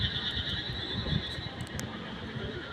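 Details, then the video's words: Frogs calling at night in a dense, steady chorus of high, buzzy trilling that holds on two bands without pause, with a few faint clicks and low rumbling noise underneath. "রাতের ওইধার ব্যাঙের ডাক খুবই সুন্দর"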